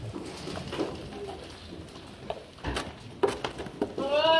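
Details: Black goat in a barn in Gimhae, South Korea, during evening feeding in January 2022; rustling and knocking of feed, then a loud, quavering bleat begins near the end and is cut off.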